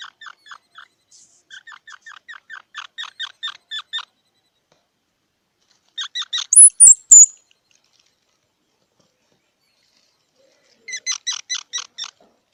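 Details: Squirrel giving quick repeated squeaky chirps in steady trains, then a louder burst with a short high whistle after a pause, and a final chattering series; quiet background otherwise.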